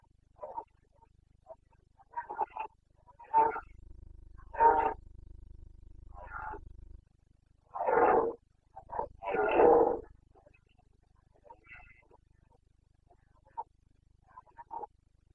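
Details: Carpathian red deer stag roaring in the Bucovina mountains during the breeding season, 29 September 2022: short, harsh, groaning bellows, several bursts with two long loud roars near the middle, and fainter grunts between them.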